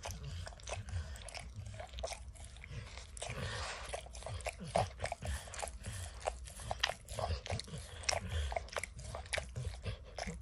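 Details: Close-up licking and chewing by Max the dog as he works peanut butter and kibble out of an orange mat: dense wet clicks and crisp crunches come several per second, with no voices.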